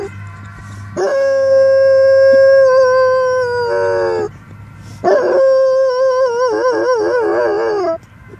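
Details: A Weimaraner reacting to a siren gives two long, mournful howls, the second wavering up and down.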